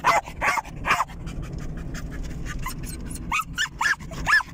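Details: Excited German Jagdterrier pet dog on a car ride; three loud yapping barks, a pause of low engine drone, then another quick burst of three or four high barks.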